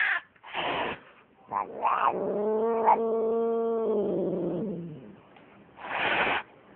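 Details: Cat giving a drawn-out, moaning yowl that holds steady then slides down, framed by short breathy hisses or rustles before and after.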